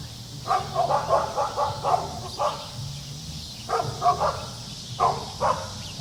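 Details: Dog playing with kids, giving short sharp barks in quick clusters of two to four, with pauses between bursts over a steady low background hum.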